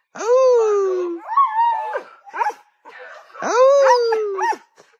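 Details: Household Siberian Husky noisily demanding to eat when the bun seller comes by; rising then falling yowling howls in two long bouts, broken by shorter whining yelps.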